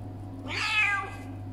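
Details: Indoor domestic cat, angry and refusing to be touched, lets out a single strained meow lasting roughly half a second, bright and wavering in pitch. A constant low electrical hum sits beneath it.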